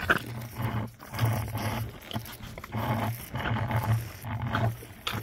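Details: Two young orphan baby rhinos answering their keeper's voice at the early morning milk feed, talking back with gruff, low, pulsing grunts and rumbles that come in bursts about every second, with scuffling and handling noises around them.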